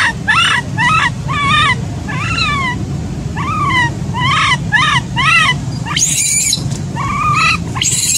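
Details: Crying of an infant macaque abandoned by its mother: a quick series of about a dozen bent, harmonic wails, each a brief rise and fall, ending in harsh high screeches over low rumbling noise.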